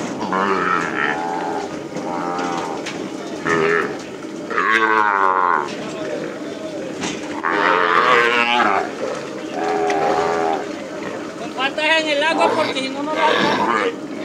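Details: Calves freed after branding on a llano ranch, calling in a steady chorus of long, wavering moos from several animals over a constant rumbling background, with higher, strained bawls toward the end.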